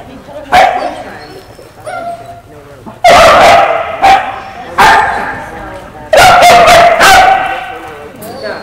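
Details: Female Australian Kelpie barking while being tested on herding goats during a trip to the United States: loud single barks and a quick volley of several barks, separated by quieter talk from people.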